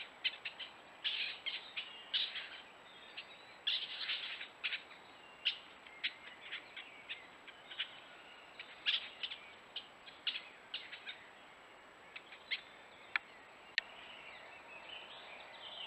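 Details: A male and female stone marten mating in Geuzenbos woodland, the male behaving aggressively, give shrill, irregular squeaks and chattering bursts.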